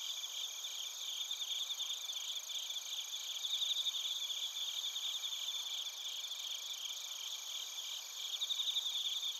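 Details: Bell crickets and other crickets chirping in Narita, Chiba Prefecture, Japan, recorded on a TASCAM Portacapture X8: a dense, high, steady insect chorus of layered buzzing bands with a fast pulsed trill, and bright ringing notes swelling near the middle and end.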